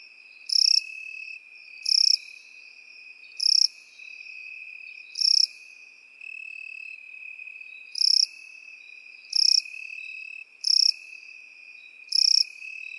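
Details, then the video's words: Crickets among field grasses give bright buzzy chirps, eight in all, spaced one to two seconds apart with one longer gap, while a constant high insect drone runs underneath. "Сверчки и кузнечики в полевой траве"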